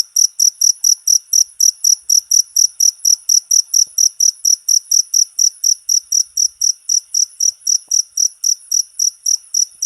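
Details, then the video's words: Cricket song prepared as training material for all kinds of cage birds: bright, insistent high chirps pulsing rhythmically at roughly three per second, steady throughout, with no other sounds. "MP3 JANGKRIK,COCOK UNTUK MASTERAN SEMUA BURUNG..!!!"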